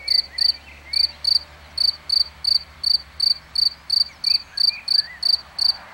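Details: Cricket in plain view singing a regular series of piercing, high chirps, roughly two to three each second, some closely paired, against a quiet background with light bird twitters.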